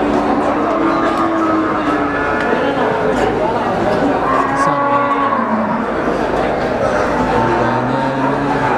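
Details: Brahman breeding cows at the Sumberlawang cattle market in Sragen, 2018, mooing with several overlapping low drawn-out calls amid a steady crowded market din of voices and background noise.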